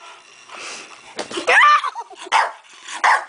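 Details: Protective bulldog barking at a person who hit its owner; three loud, abrupt barks with a rising yelp-like edge, spaced under a second apart, over soft background voices.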